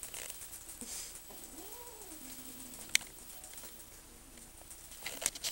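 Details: Kitten guarding food it was given, very protective of edible things; a low drawn-out wavering growl arcs up then falls over about two seconds, with small clicks and handling noises.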